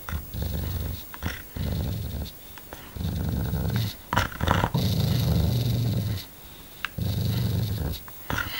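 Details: A dog named Tiger, called vicious, growls in long low rumbling bursts of one to two seconds separated by short pauses, indoors, with a few sharp clicks and knocks between the growls.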